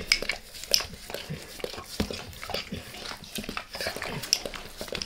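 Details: Max, a pet dog, licks his owner's face in a quiet room; crisp, wet tongue smacks and sticky clicks come in uneven clusters, bright and close, with no voices.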